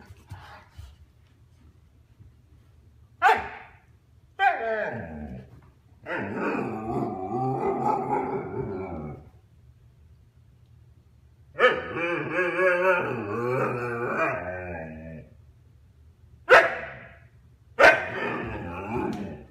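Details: Argento, a one-and-a-half-year-old Husky, chatters to get the attention of his younger brother Sasha, who gives him the cold shoulder; long harmonic howling yowls and warbles with brief barks between, indoors, with a few spoken words.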